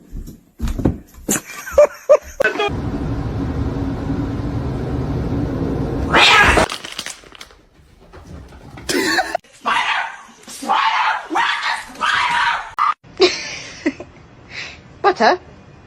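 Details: Domestic cat giving short, strained meows and caterwaul-like cries in bursts through the second half, amid people talking, shouting and laughing, a cough, and a stretch of steady rushing noise early on.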